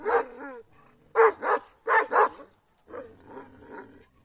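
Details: Kangal dogs in an attack bark in paired harsh bursts, with a short whine at the start and softer growly barks near the end.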